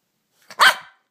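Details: Bichon Frise barking indoors when hungry, asking for a treat: one short, sharp, bright bark with a brief soft onset just before it, then silence.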